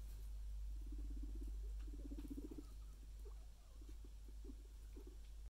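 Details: Luna, a pet guinea pig, resting super comfy; soft low purring rumbles come in short bursts, steady at first and then breaking into brief separate pulses, over a constant faint hum.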